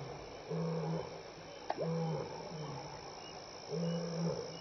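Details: At Elephant Plains Game Lodge, South Africa, a lion walking by in the evening of May 26, 2011 gives short, low grunting bursts of its contact roar, three heavy pulses with a single sharp click between them, insects buzzing throughout.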